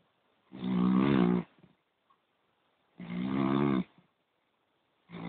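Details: Deep, rattling poodle snores: two full rasping breaths about a second long, followed by the start of a third, repeating every two to three seconds against indoor quiet.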